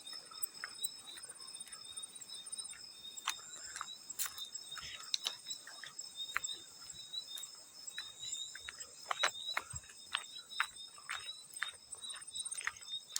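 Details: Field cricket chirping in a steady, high, continuous trill with two bright bands, joined by frequent sharp splashing clicks of water throughout.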